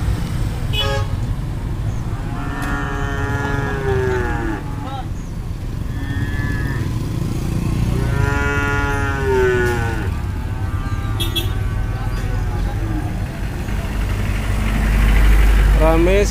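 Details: Cattle at a busy animal market in the afternoon, with many animals being loaded onto vehicles; several long, drawn-out moos rise and fall, one near three seconds and more between eight and twelve seconds, over a constant low rumble of crowd and engines.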